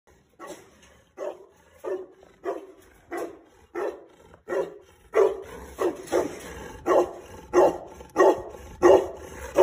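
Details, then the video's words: Purebred Hequ Tibetan Mastiff barking: a steady series of about fourteen deep, full barks roughly every two-thirds of a second, growing louder and heavier halfway through, with little other sound. "Pure breed Hequ Tibetan Mastiff"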